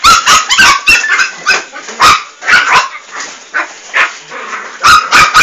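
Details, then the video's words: Several Fox Terrier puppies, called Duracell-type, yap in rapid high-pitched yips, clusters of quick barks broken by short gaps across the whole stretch, bright and piercing. "FILHOTES DE FOX TERRIER TIPO DURACELL"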